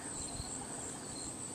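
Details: Crickets chirp in a steady, high-pitched continuous trill in a garden on August 21, 2017, during a partial solar eclipse that made the afternoon dark like night.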